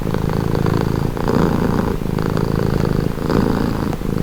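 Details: Deep vibrating purr from a cat heard at very close range, a gritty continuous buzz with soft swells every second or so tied to breathing.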